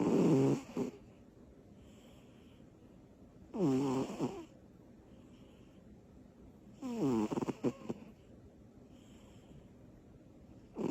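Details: Butters, a little female cat, asleep after her energy bursts, gives big snores: three rough, rasping breaths about every three and a half seconds, each lasting about a second, with quiet pauses between them.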